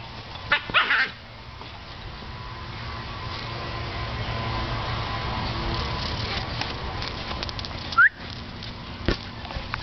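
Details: Teddy, a pet dog, barks at a huge blue ball he is chasing, frustrated that he can't get it in his mouth; a short burst of barks near the start and another sharp bark near the end over steady broadband background noise.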